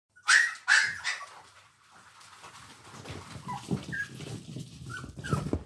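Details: Yorkshire Terrier puppies, mock-attacking, give two sharp, high-pitched yaps, then softer whines and scuffling noises.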